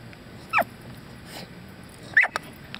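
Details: Nine-month-old female Staffordshire Bull Terrier during basic obedience and trick training, giving two short high-pitched whines about a second and a half apart, with quiet background in between.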